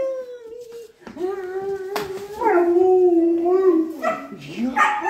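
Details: Alaskan Malamute and Australian Shepherd puppy being vocal before going out: long, wavering, tonal howls that slide up and down, one dog or both, with brief voices in the background.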